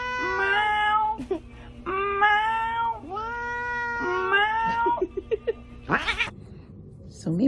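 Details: Cat meowing four times, each meow drawn out and harmonic, followed by a quick run of short chirping sounds and a few clicks, with a steady low hum throughout.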